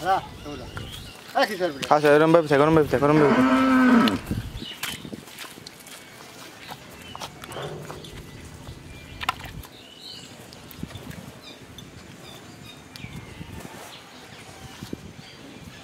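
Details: Friesian dairy cow in her second lactation, with her bull calf, on a farm in Pabna, Bangladesh, giving 20–22 litres of milk a day. She gives one loud, drawn-out moo lasting about two and a half seconds, falling slightly in pitch, followed by quiet voices.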